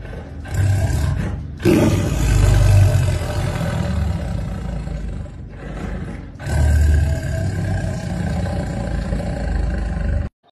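A tiger growls in deep, rumbling bursts that swell and fade over several seconds.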